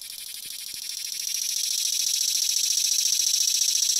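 A cicada sings a steady, high, buzzing drone that swells slightly louder over a few seconds.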